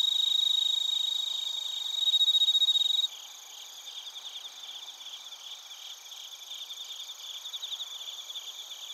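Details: Crickets and bell crickets in Narita, Chiba, Japan, on a TASCAM Portacapture X8: a loud, pure ringing trill for three seconds, then an abrupt drop to a softer, steady chorus of rhythmic high chirps.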